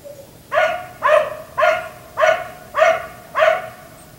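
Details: Nighttime barking from a black Labrador retriever left out until 1am by its owners: a steady run of six loud, ringing barks spaced about half a second apart after a brief soft whine.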